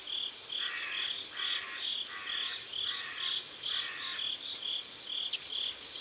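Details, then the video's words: Riverside crickets at sunset in South Korea chirp in a high, regular pulse, joined by a lower buzzy trill repeating in short bursts about once a second. "Sunset River and Sound of Crickets"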